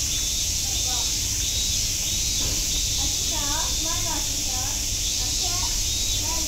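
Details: Cicada chorus at Nogeyama Zoo, an even, shrill sizzling hum held constant throughout, overlaid by lively human voices rising and falling in conversation nearby.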